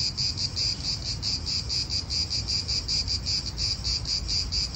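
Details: Cicadas in an Italian park, recorded as real outdoor atmosphere: a steady, high buzzing pulsed about six times a second in an even throb, over a low rumble of wind.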